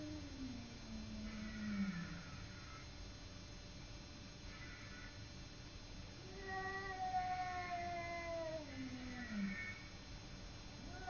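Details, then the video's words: Simba, a domestic cat, fighting with a neighbour cat: long drawn-out wailing howls that rise and then slide downward, several overlapping yowls across the clip with a steady background hum. "Simba fighting with neighbour cat"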